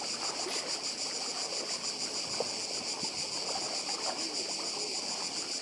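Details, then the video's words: Dense, unbroken shrill buzz of cicadas on Croatia's Badija island, finely pulsed, over a gentle rushing sea. "Cykady i szum morza w Chorwacji"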